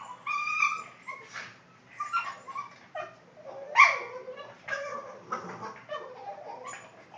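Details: Boston Terrier making funny noises indoors: a run of short whiny yips and squeaky moans with tonal, harmonic bands, coming in bursts about every half second to second, fairly soft.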